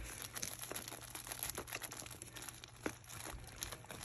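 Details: Steady crinkling and crunching of a plastic toy being handled in a small indoor room, with a faint low hum.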